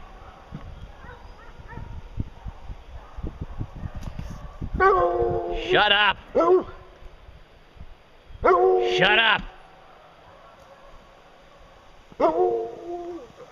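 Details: Hounds on a bear hunt near a fresh bear track: low talk and shuffling at first, then two long, wavering, rising-and-falling howls several seconds apart, and a shorter bay at the end.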